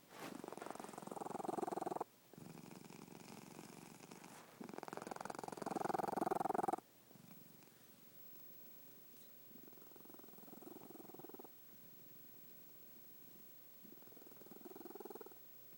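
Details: Domestic cat snoring in its sleep: two loud buzzing, vibrating breaths, then softer rasping ones with quiet gaps, in a calm indoor room.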